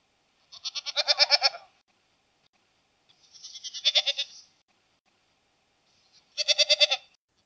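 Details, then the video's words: Three drawn-out goat bleats with a shaky, pulsing quaver, the middle one softer and rising in loudness, spaced about two and a half seconds apart against silence. "Ziegen Geräusch - Geräusche von Ziegen"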